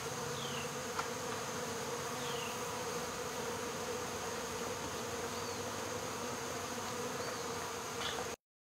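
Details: Honey bees of a swarm being removed from local baseball fields, 12 August 2014, fanning at the entrance to draw the rest inside; constant low humming drone, a few faint falling chirps, then abrupt silence near the end.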